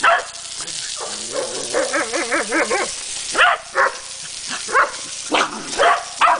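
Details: A corgi attacking a running garden hose gives wavering, yodel-like whines followed by sharp, repeated barks over a steady hiss of spraying water.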